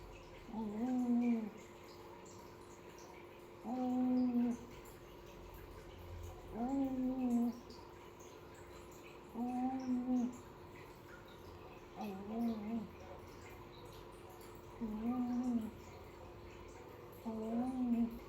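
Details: Piko, a kitten of the Indonesian village-cat type, snores while asleep indoors: low, droning buzzy snores with faint overtones, evenly spaced about every three seconds, over a steady background hum.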